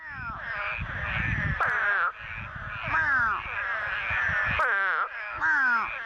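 A chorus of Eastern spadefoots calls in short, nasal, downward-slurred groans, each lasting about half a second and sounding much like a bleating sheep or goat. The calls overlap closely and repeat without pause.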